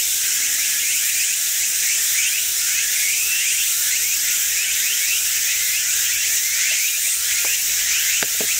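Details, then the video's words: Walker's cicada (Tsukutsukuboshi) in Chiba Prefecture, Japan, 12 September 2010, late summer, still singing loudly: a high, shrill buzz with quickly repeated pulsing phrases. "ツクツクボウシ 千葉県 （C. opalifera in JAPAN)"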